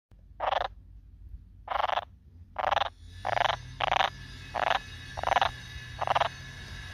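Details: Marsh frog calling: eight short, rasping, buzzy croak bursts over seven seconds, spaced unevenly about half a second to a second apart, over a faint low background hum.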